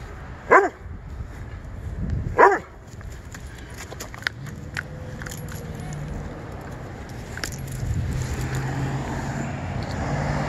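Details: Doberman barking while chasing squirrels in Juniper Valley Park: two strong barks under two seconds apart near the start, followed by quieter rustling and a steady low rumble of distant traffic.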